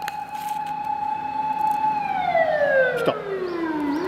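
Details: A Labrador Retriever imitates an ambulance siren, howling a long, steady, siren-like note that slides smoothly downward at the end.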